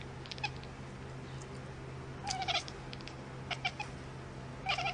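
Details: Domestic cat giving a few short, high-pitched meows with bright overtones, the clearest two coming in quick pairs near the middle and end, over a steady low electrical hum.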